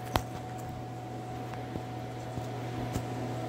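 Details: Indoor appliance hum drones throughout, with a few soft taps and a brief knock near the start.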